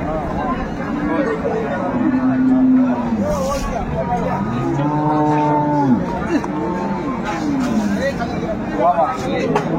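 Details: At Ambari market in Dinajpur on 22/4/24, an improved-breed milk cow with a female calf gives a long, swelling moo midway, preceded by softer lowing, amid talk, crowd noise and passing vehicles.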